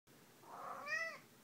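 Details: Pet cat, described as dog-like, meowing while playing fetch: one short clear meow with a tone that swells then arches downward, in a quiet room.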